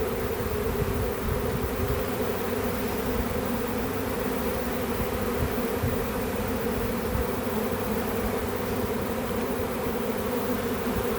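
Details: Honey bee swarm found in a home back yard, heard during its capture: an unbroken, even drone of many wings humming together, with no gaps.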